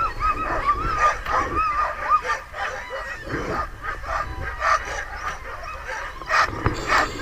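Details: Night chorus of sled dogs at a White Mountains kennel in New Hampshire, Muddy Paw: excited barks and yips repeated rapidly over a continuous layer of whines and howls from many dogs.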